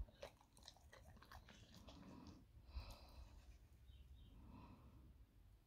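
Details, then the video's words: Moley, a male English Staffordshire Bull Terrier on a raw diet, eating a breakfast of steak with spinach and liver crumble indoors; quiet wet chewing and lip smacking with scattered clicks in a small room. "English Staffy eating his breakfast"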